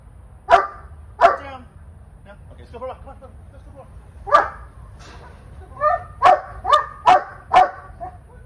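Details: Female Cane Corso in training who needs a lot of work, barking: sharp single barks at intervals, then a rapid run of four deep barks near the end, with faint whines between.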